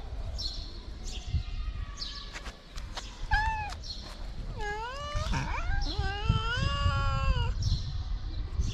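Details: In Morocco, hungry stray cats cry for food with a run of insistent meows: a brief call, then a cluster of long, bending wails that overlap and stretch across several seconds, over steady low background noise.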